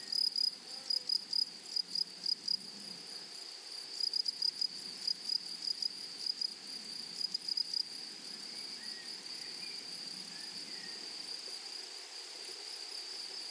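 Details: Meadow grasshoppers produce loud, rapid bursts of high chirps for the first eight seconds. These then settle into a continuous, even, high-pitched drone. Faint short whistles and soft rustling sit underneath.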